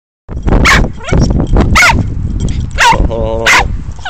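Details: Two dogs, August and Zuri, at a dog park: four short, sharp barks or yips spread over four seconds, mixed with a person talking nearby.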